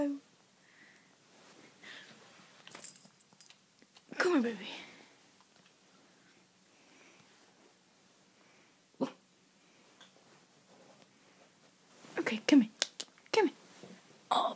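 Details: Prince, a Cavalier King Charles Spaniel puppy, barking at the window indoors: a few short, sharp yapping barks, one burst early and a cluster near the end, separated by quiet stretches and soft human talk in a small room.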